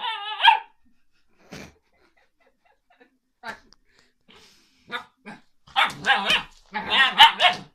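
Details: Alaskan Malamute puppy vocalizing: a brief whine at the start, a few faint scattered sounds, then loud warbling yowls in two bursts near the end, wavering up and down.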